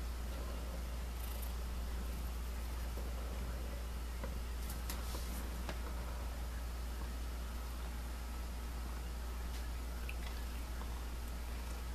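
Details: Indoors, a constant low electrical hum runs throughout, broken only by a few soft rustles and clicks, with no animal calls.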